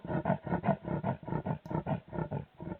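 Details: A female leopard on the peri-urban Hoedspruit Wildlife Estate gives her distinctive rasp: rapid-fire, hoarse sawing strokes repeated about four times a second.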